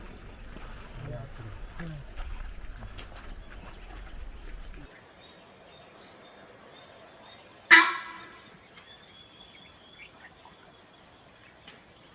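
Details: In forest at Chinnar Wildlife Sanctuary, Kerala, Western Ghats, one of a group of about 20 sambar deer gives a loud, abrupt honking alarm call on seeing people, signalling the herd to run.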